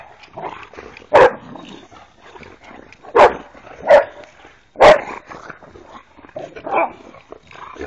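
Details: Boxers at play, three dogs roughhousing: a handful of abrupt, punchy barks spaced a second or two apart over low growly grumbles and scuffling.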